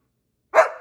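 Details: A German Shepherd talking back during a bang and play dead trick, giving a single short, rising-then-falling bark-like vocal of under half a second, with a brief spoken exclamation nearby.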